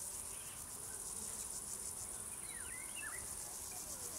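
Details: Chorus of singing crickets, a continuous very high pulsing buzz throughout, while a bird adds brief twittering, sliding chirps in the middle distance.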